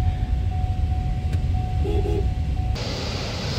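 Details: A low, steady engine rumble fills the recording, joined by a constant thin tone and a brief sharper rise in hiss near the end, with no animal voice heard.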